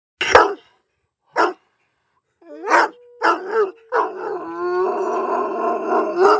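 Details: Paddy, a pet Irish Wolfhound, making noise: short gruff barks open, then drawn-out wavering howls with rich harmonics building into a sustained tonal wail over the last two seconds.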